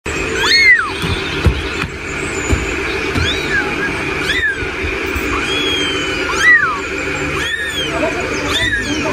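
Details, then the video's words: Baby kittens meowing: thin, high, arching mews repeat every second or two, rising then falling, over a steady background tone and faint low rumbling. "Cute Baby Cat Sound"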